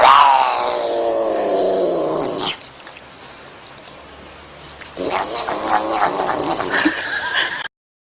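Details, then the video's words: Domestic cat uttering a loud, long, falling meow lasting about two seconds, followed by a quiet gap and then a rougher, noisy vocal burst before an abrupt stop. "Говорящий кот. Talking cat"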